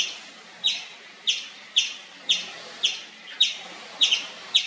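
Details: Indian palm squirrel calling nonstop with loud, sharp, high-pitched chirps, each a quick downward flick, repeated about every half second in a steady series of eight to nine notes, with faint background hiss.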